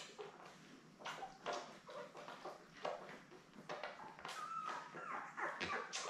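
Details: Indoor puppy cam of seven Labrador Retriever newborns born May 24, 2021, with their mother Belle: scattered faint squeaks and brief whines among frequent rustling and shuffling sounds.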